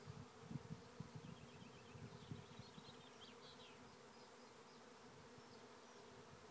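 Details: Steady low buzz of thousands of honey bees moving into a trap hive at Lisballyard, Tipperary, Ireland, with soft thumps early on and brief high twittering bird notes over the humming drone.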